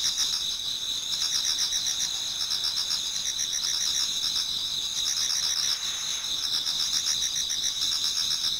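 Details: Towards dawn in autumn, numerous insects sing in a Japanese garden, producing constant piercing high trills with overlapping bursts of fast pulsed chirping that swell and fade in groups.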